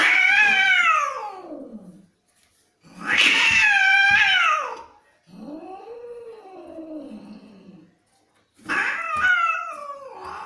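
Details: Domestic cats fighting: four loud, harsh yowls, each rising and falling in an arch with a wavering pitch, separated by brief gaps, from angry animals indoors.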